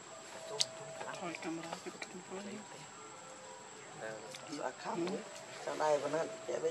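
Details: Baby monkey named Leo, hungry and crying as it begs its mother for milk: wavering, harmonic whimpers that rise and fall, building into a burst of quick quavering cries at the end, over rustling, murmuring background noise and a steady high whine.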